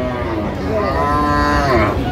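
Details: Sahiwal breed cattle, among bulls bought by a Dhaka farmer at a livestock market on 4 August 2025, give a drawn-out, strongly harmonic moo that swells and bends slightly before fading, with crowd murmur and traffic faintly underneath.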